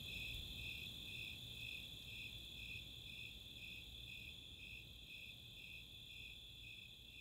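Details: Snowy Tree Crickets and Four-spotted Tree Crickets on a summer night in Chautauqua's open space, Boulder, Colorado: steady high chirps near two per second over a continuous trill, the whole chorus gently fading quieter toward the end.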